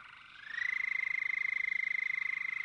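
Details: An endangered male Houston toad with a speckled belly and dark black throat calls at a breeding pond in Bastrop County, Texas, with no females present: a high, sustained, ringing trill that rises briefly, then holds steady.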